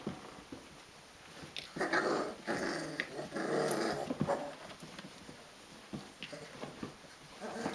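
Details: Rhodesian Ridgeback puppies aged 22 days wrestling in a small room; a low, continuous tangle of growly squeaks and scuffles in the middle seconds, quieter at the start and end.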